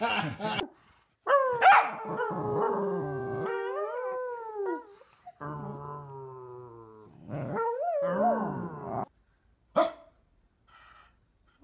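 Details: Dog in a funny pet compilation giving drawn-out, wavering whine-howls that rise and fall in pitch, broken by short gaps and a few sharp yelps, with a person's voice asking what is wrong.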